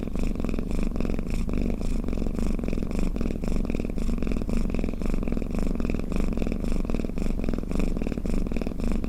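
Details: Sleepy cat's snoring purr, intended to make other cats drowsy; a continuous low vibrating rumble with steady breathing pulses throughout, recorded close, no other sounds.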